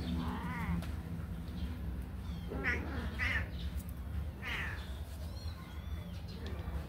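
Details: Young kittens just out of the cage, eager to run and play, mew repeatedly in clear wavering cries, several overlapping near the middle, against a constant low background drone.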